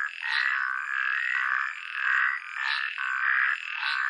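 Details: Frogs calling in a dense chorus: steady buzzy trilled croaks with a mid-pitched band and bright overtones, swelling in loudness roughly every half second, with no other clear sounds.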